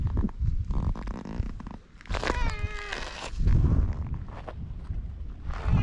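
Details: Feral cat on a cat island in Japan lets out a brief level meow lasting under a second, partly masked by heavy handling noise, wind and footsteps.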